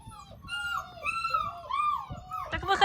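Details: Central Asian Shepherd puppies, almost six weeks old, in Oregon, USA: high whining whimpers with drawn-out, wavering tones, several overlapping, ending in a louder squeal.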